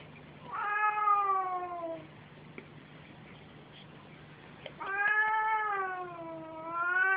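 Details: Mother and son house cats at play; two long, wavering, strongly harmonic wails, the first slowly falling over about a second and a half, the second sagging then rising again, separated by a quiet gap, a low hum behind.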